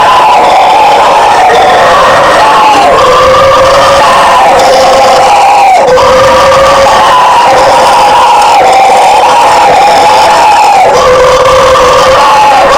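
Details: Howler monkeys (bugio) in a powerful, sustained roaring chorus; rough, moaning tones dip and rise in long waves roughly every two seconds, voices overlapping without pause.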